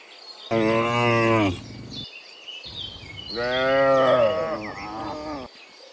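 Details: Morning cows coming back from the field to the pen give two long, rich moos, the second wavering and drawn out, while birds twitter behind them.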